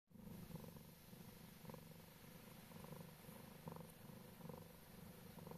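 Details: A Scottish Straight cat sleeping together with ducklings purrs steadily, a low rhythmic rumble pulsing about twice a second in even breaths, with faint soft peeps from the ducklings above.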